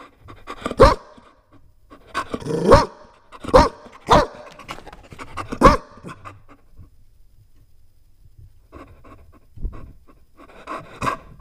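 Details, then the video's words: A Chow Chow puppy lets out a quick run of loud, harsh barks, then falls quiet for a few seconds before softer huffing barks resume, heard in a small room. "Chow Chow Dog Puppy Barking"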